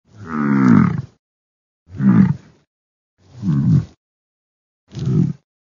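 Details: Bison, four low, harmonic bellowing calls about a second each, with the first being the longest, spaced roughly every one and a half seconds in otherwise silent surroundings.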